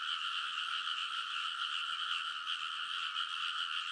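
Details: Frogs in full chorus in a rice paddy at Kōnosu, Saitama, Japan, late at night in early summer, captured on a TASCAM Portacapture X8; constant overlapping trilled croaks form a steady, shimmering drone throughout.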